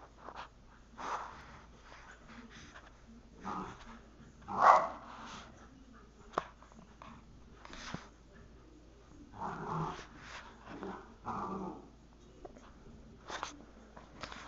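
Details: Two Wheaten Terriers playing together inside a house; short bursts of rough growling and barking come and go, with the loudest burst near the middle, between quieter pauses and faint household background.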